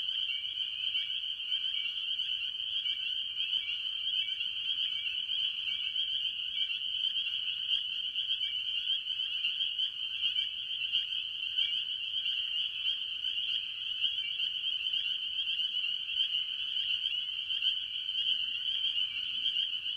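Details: Spring peepers with various other tree frogs calling early in the year at a farm pond: a dense, unbroken chorus of shrill, high overlapping peeps forming a steady wall of sound, with a fainter lower trilling layer beneath, for twenty seconds.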